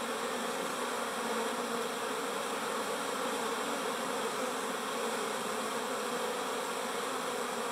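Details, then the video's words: A steady chorus of busy bees fills the air with an even, layered drone, a constant buzzing wash that neither rises nor fades and has nothing else mixed in. "Bees buzz"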